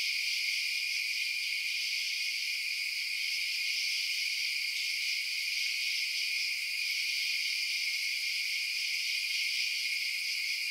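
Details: Steady nighttime cricket chirping, a thick high-pitched insect chorus that never breaks, level and even from start to finish, nothing else audible.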